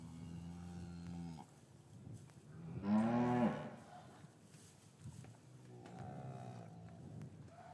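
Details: Gentle lowing from cows in a traditional English farm yard, winter afternoon, calves kept apart from their mothers: three low moos, a sustained one, then a louder, rising bellow, then a softer drawn-out call, with faint yard noise between.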